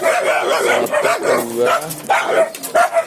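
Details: Caged Indonesian village dogs, a local hunting and guard type, at one of Indonesia's largest dog breeding farms; a steady run of overlapping yappy barks, with a man's voice briefly heard in the middle.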